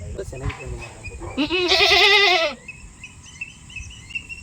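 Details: Goat with both eyes reddened, bleating while being treated: a single loud, quavering, nasal bleat lasting about a second, preceded by a man speaking Tamil and followed by soft background music.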